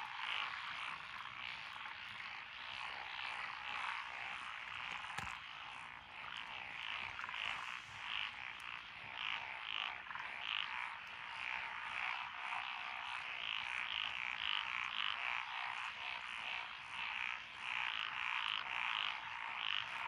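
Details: Several frog species, including Japanese tree frogs, black-spotted pond frogs, wrinkled frogs, Schlegel's green tree frogs and forest green tree frogs, calling from lotus rice paddies beside a rural road in Echizen, Fukui, Japan, on 12 June 2021. Dense, continuous chorus of rapid, repeated croaking notes.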